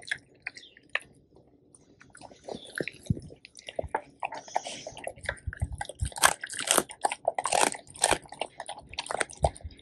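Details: The two male Labrador Retrievers Tico and Remi bite through a whole raw duck head. Quiet scattered bites at first build into loud, sharp crunches of bone and wet squishes in a small indoor space.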